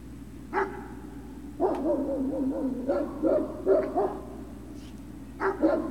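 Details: Great Dane puppies at Puppy Hill, 03-06-2019, afternoon: a single bark opens, then a run of wavering whiny yelps and yips, ending with another pair of sharp barks.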